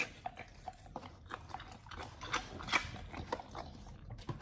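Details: Raw-fed Pit Bulls eating beef, quail egg and duck wing, recorded up close for ASMR: quick moist chomps and crackling crunches, roughly two to three per second, with one louder crunching burst midway.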